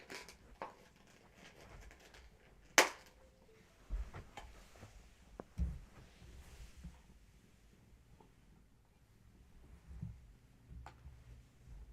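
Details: Quiet indoor room with scattered sharp clicks, taps and knocks, one loud snap near the third second, and soft low rumbling, with no animal voice.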